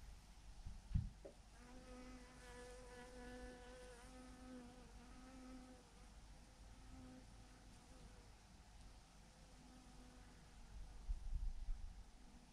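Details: Swarm of honey bees hanging in a huge clump on a branch, giving a steady, slightly wobbling hum with rich overtones that holds for several seconds and then thins out, over a low rumbling background with a couple of soft thumps.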